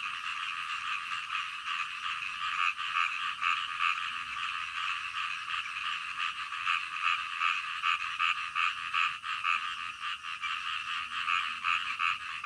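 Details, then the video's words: In the middle of the night, a frog chorus pulses steadily with rapid overlapping croaks, a few louder clicking calls standing out above the continuous buzz. "SUARA KODOK DITENGAH MALAM"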